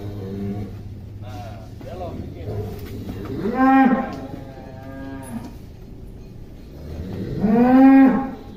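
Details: Atta Halilintar, a giant cow recorded young in 2022, gives two long, drawn-out moos about four seconds apart, each arching up then down, with low rumble and faint voices between them.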